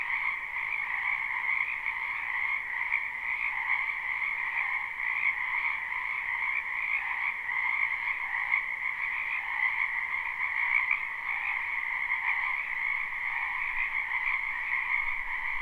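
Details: Many frogs croaking in a spring wetland behind a house, recorded live: a dense, unbroken chorus of trilling calls in two steady bands, one mid-pitched and one higher, with no pauses throughout.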